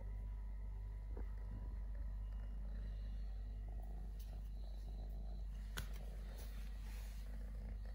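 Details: Three-legged stray kitten purring: a low, even rumble sustained for the whole stretch, with soft rustles and a couple of brief sharp ticks over it.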